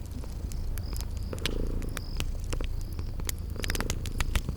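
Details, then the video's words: Sleeping kittens purring beside a crackling fireplace in a spring garden ambience: a steady low rumbling purr throughout, broken by sharp fire crackles and pops, with faint high thin whistles in the background. "Sleeping Purring Kitties"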